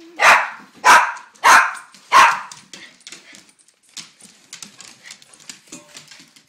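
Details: Household dogs (Rhodesian Ridgeback, beagle mix, Silky Terrier, APBT/Boxer mix foster) at breakfast during a morning routine, asked to sit for their meal indoors; four loud sharp barks roughly every 0.6 seconds, then softer scattered noises and a human voice.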